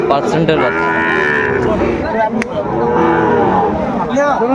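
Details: Sahiwal bull calves at a cattle market in Comilla, Bangladesh, recorded 6 July 2024: two long, loud lowing moos with rich stacked harmonics, the second starting near the three-second mark, over a steady crowd murmur.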